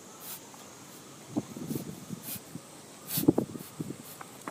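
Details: Miniature Schnauzer with mitral valve insufficiency and mild pulmonary edema, out walking for the first time in two weeks and unable to stop sneezing; two short, explosive sneezes about three seconds apart, with soft snuffling and shuffling between them.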